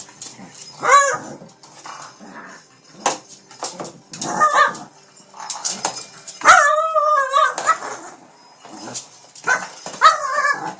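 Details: Pet Shih Tzu King Bubba mauls a cat toy late one night in Pennsylvania, letting out high wavering whines and yips, one long quavering cry near the middle, amid soft scuffling sounds.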